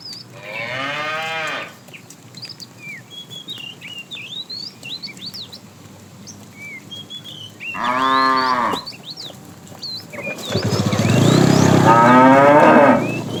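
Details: Cows roaming a road while foraging for food, giving three moos: a short one, a second after a pause of several seconds, and a long, loud, rough final one. High, chirping birdsong sounds in the gaps.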